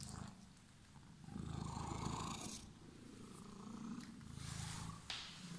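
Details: Green-eyed house cat purring close up while greeting its returning owner; a deep, fast vibrating rumble swelling in two long breath cycles, with a faint rustle near the end.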